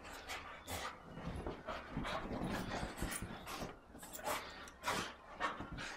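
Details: A big, excited Cocker Spaniel going wild after his wash gives rapid, breathy pants and snorts in uneven bursts, about one or two a second, with rustling and scuffling between breaths.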